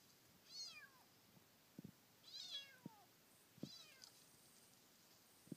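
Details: A kitten encountered while circling Teshima island gives three thin, high meows that slide downward, spaced about two seconds apart.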